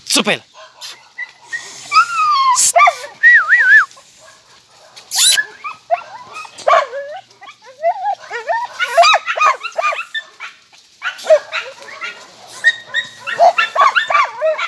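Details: Jagdterriers, described as somewhat nervous, give high, looping whines and yelps that rise and fall in quick bursts throughout, broken by a few sharp, harsh barks; a human voice is heard at times.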